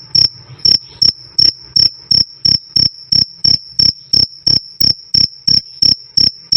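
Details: Crisp cricket chirping, "krik krik", loud and clean, meant for tutoring songbirds like cendet and jalak suren. Sharp ringing pulses come about three each second in a steady, unbroken series.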